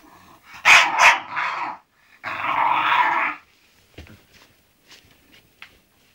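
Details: English bulldog Zenuś grumbles on the way to sleep. Two sharp, throaty bursts come first, then a longer rasping groan, followed by small snuffles and clicks.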